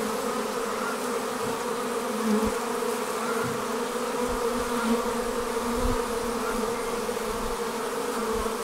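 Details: Honey bees swarming out of their hive: a continuous dense buzz with occasional louder passes of single bees close by and soft low thumps.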